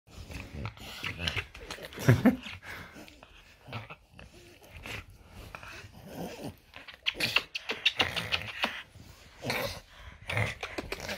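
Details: French Bulldog named Loki on a typical morning indoors in a small room: snorty grumbling and huffing noises, with a brief high whine near two seconds and bursts of snuffling throughout.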